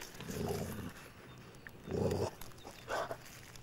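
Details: A Basset Hound out on a walk gives deep, hoarse barks, two strong ones about a second and a half apart.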